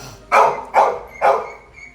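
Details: Labrador Retriever barking in a morning scene at home: three loud, short, harsh barks about half a second apart, followed by a woman speaking Malayalam.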